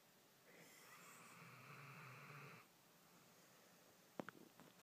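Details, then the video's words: Sleeping puppy snoring softly: one long, breathy rasping inhalation lasting about two seconds, followed by quiet breathing and a few brief faint clicks near the end. "Snoring puppy"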